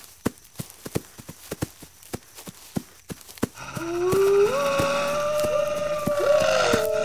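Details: Wolves howling: after about three and a half seconds of steady sharp clicking, long smooth howls rise and hold level, several voices overlapping in a sustained chorus over the continuing clicks.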